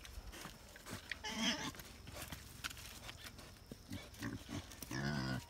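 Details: Wild boar and sow being introduced to each other for the first time; two harsh, harmonic squealing grunts, one just after the first second and a longer one at the end, over shuffling, thuds and rustling.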